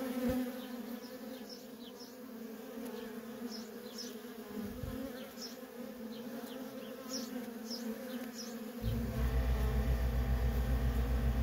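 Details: Ongoing low buzz of worker honey bees at a feral colony with repeated faint bird chirps; a loud rumbling low noise takes over in the last few seconds.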